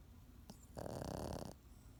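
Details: Pekingese dog snoring, one drawn-out rattling inhale of under a second after a faint short sniff, over a low indoor hum.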